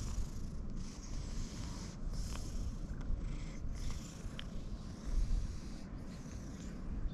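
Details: A cat being stroked snorts heavily with pleasure, a deep, steady rumbling throb low in pitch, with faint clicks and rustling from handling above it.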